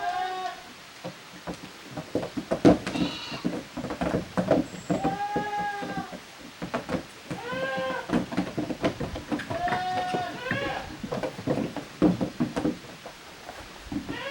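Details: Young goat kids from two families romping in the yard of a handmade goat farm, June 2023; frequent trembling bleats, high and lower voices overlapping, irregular and excited, amid footfalls and clattering.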